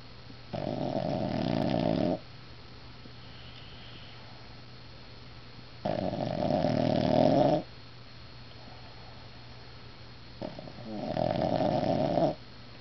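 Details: Female dog snoring while asleep indoors: three loud, rasping snores, each lasting well over a second and roughly five seconds apart, with quiet breathing gaps between them.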